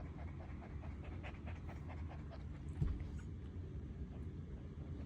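A serval breathes heavily in quick, rhythmic, panting huffs over a low background rumble.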